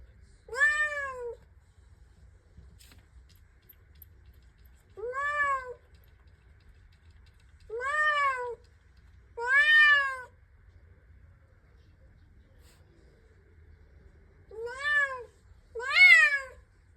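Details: Domestic cat, female, indoors, constantly wanting to go outside and making strange noises; six drawn-out, arched meows, each about a second long, with pauses of several seconds between them in a quiet room.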